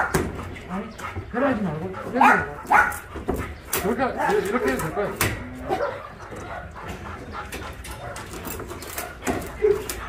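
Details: Shelter dogs at a rescue centre in Ulsan, South Korea, recorded during a volunteer visit: a few short barks and wavering, rising-and-falling whines over several seconds, with people talking throughout.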